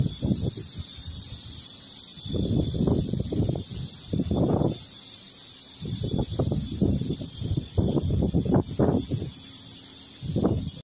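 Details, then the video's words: Farmland cicadas near ripening longan trees keep up a continuous high, hissing buzz, partly covered by frequent low rustling and handling bumps. "蟬聲#cicada sound"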